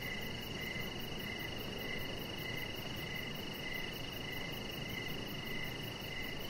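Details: Crickets chirping outdoors in the evening by a deck: short pulsed chirps repeating steadily at a mid-high pitch, a steady higher trill above, very high faint ticking pulses, and a broad low hiss of background noise.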